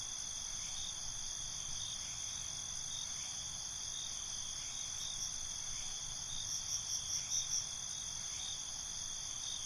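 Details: Crickets calling at night, a constant high ringing chorus with faint regular pulses and a brief louder burst of chirps near the end, over soft low-frequency background noise.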